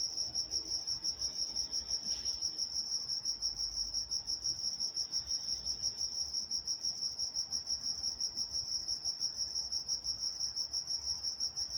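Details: In Walnut, California at night, crickets keep up a bright, fast, regular pulsing trill at a single high pitch, with only a faint low murmur behind.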